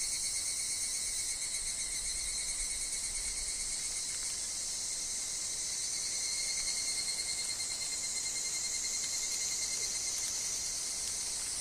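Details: Woodland higurashi, the evening cicada, heard with wind and dropping leaves: a dense high metallic buzz with several parallel ringing tones, constant from start to finish, faint low rumble beneath.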